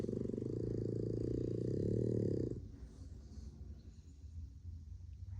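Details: One of four sleeping Boston Terriers, relaxing indoors on a dark, rainy day, snores with a deep, rattling, fluttering rumble that fades after a couple of seconds.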